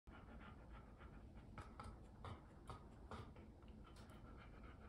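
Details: Golden Retriever eating corn for the first time, drooling and eyeing its owner's share. Quick, uneven panting breaths repeat about twice a second over a steady indoor background, with a few sharper clicks mixed in.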